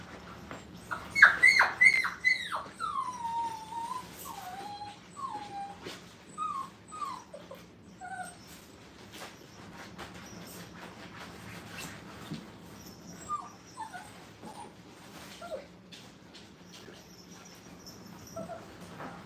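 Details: Brittany puppies, five weeks old, in a playpen for the first time, whimpering with high, descending whines that come in short bursts, loudest early then softer and scattered, over a quiet indoor background.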